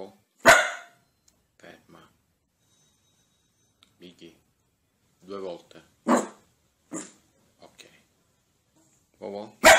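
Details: Happy dogs barking playfully for fun: loud, sharp single barks ring out several seconds apart, with softer voice-like murmurs and faint noises in between.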